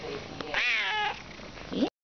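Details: Very vocal, cuddly young male cat indoors gives a strong meow that climbs and then sinks over half a second, ending with a brief squeaky chirp, while a woman talks in the background.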